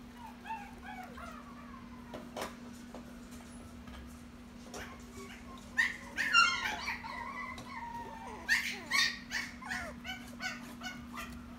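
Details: Toy Poodle kept at a pet shop gives thin, high whimpers and falling whines, scattered at first, then louder bursts near the end, over a steady electrical hum.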